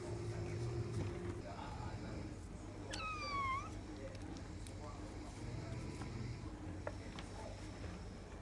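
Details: Bengal cat, one of the pair Sherry and Arthur, indoors on the third day after the two cats first met; a single drawn-out meow that rises then dips slightly, with clear harmonics, amid low household hum and faint background noises.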